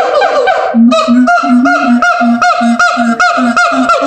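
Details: Siamang gibbons at the L.A. Zoo howl in a fast series of deep booms alternating with loud, honking barks.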